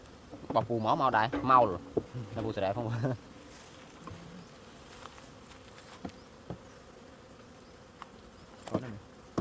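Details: Bees during honey harvesting. A steady mid-pitched hum runs beneath the recording, and a person speaks loudly over the first three seconds. A few scattered knocks follow.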